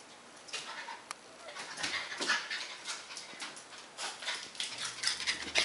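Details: Leroy, a Border Collie kept as a pet, pants and snuffles in a fast, uneven series of airy rasps that grow louder toward the end, with faint room hum beneath.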